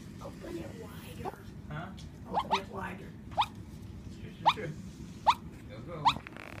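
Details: Shih-poo puppy dreaming in its sleep, giving soft muffled barks: short rising yips repeated roughly once a second, with a faint murmur of room noise beneath.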